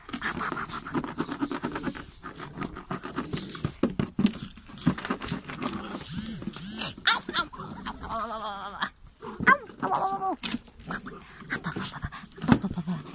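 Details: German Pinscher puppies of a 2022 UK litter (Litter D) make a busy mix of soft grunts and short yelps. Rapid, high, wavering squeals build near the end, with human voices in the background.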